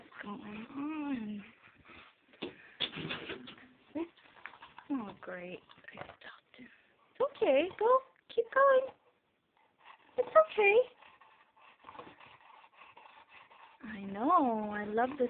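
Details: Male Chow Chow rolling around on a yoga room floor indoors, claiming the room as his own: high, wavering whines at the start and again near the end, with a person talking softly and encouragingly in between.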